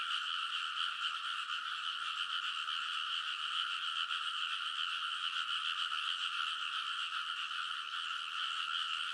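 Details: Many frogs calling together from the levees of a rice paddy in Kōnosu, Saitama, Japan, at midnight in early summer, recorded on a TASCAM Portacapture X8; a dense, unbroken wall of rapid rattling croaks with two bright pitch layers and no other sounds.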